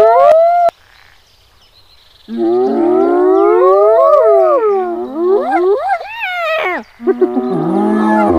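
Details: Hyenas in the wild at Kruger National Park, South Africa, giving drawn-out harmonic calls that waver and climb in pitch. Voices overlap and build toward a higher, strained ending, after a brief quiet pause near the start.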